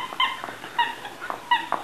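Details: Cocker spaniel puppies playing let out three brief squeaky yips, evenly spaced, with faint soft thumps between.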